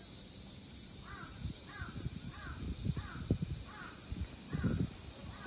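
A dense, unbroken high-pitched buzz of cicadas fills the air without pause. Over it, a crow gives a run of harsh caws about every half second.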